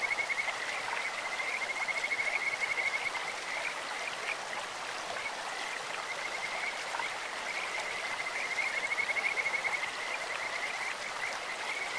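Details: Kajika frogs calling in a clear stream, a beautiful voice likened to a bird or insect: a thin whistled trill holding one pitch, in two long runs of about three seconds each, over constant rushing water.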